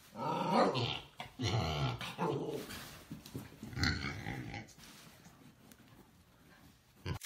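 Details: A miniature Siberian Husky / Alaskan Malamute that doesn't want to play gives a series of throaty, moaning growls in short bursts, rising and falling in pitch.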